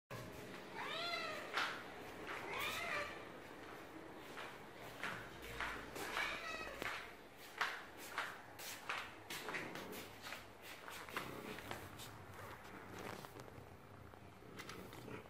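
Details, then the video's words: Male domestic cat calling a person to his food plate as part of a morning ritual, wanting to be petted while he eats: several short rising-falling meows early on, then clicking and bumping sounds of eating. "Cat leads to food to be petted while he eats"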